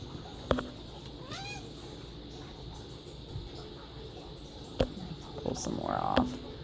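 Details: Domestic cat given fresh catnip picked from the yard, with other cats and a dog around; one short, arching meow rises and falls early on, amid sharp clicks, handling noise and a brief human voice near the end.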